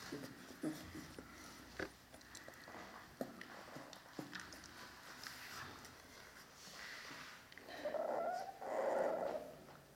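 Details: Dogo Canario puppies from the litter of Gorinka and Butze, filmed on 11 October 2015 indoors: two short, tonal whines come close together near the end, after soft clicks, rustling and scattered faint squeaks, with a little quiet speech.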